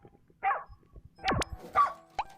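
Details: Farm pond guard dog in Hongcheon, Gangwon Province, South Korea, arriving too late after a heron has snatched a fish from the pond. Two short, harsh barks, with a quick swooping whistle-like sweep between them and a faint click near the end.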